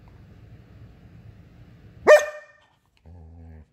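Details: German Shepherd wanting to play: after a low rumbling background, a single sharp bark rings out, followed a moment later by a short, low, tonal whine or growl indoors.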